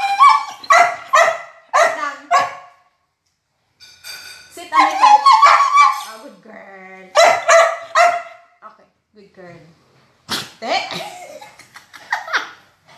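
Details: Border Collie talking during a review of her favorite chicken: quick clusters of yappy barks, then longer warbling grumbles and whines, a low moaning stretch, and more barks with pauses between.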